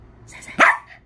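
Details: A pet Bichon dog barking on command during play-training with its owner, who asks for loud and soft barks: one short, sharp yap lasting about a quarter second, preceded by faint whining.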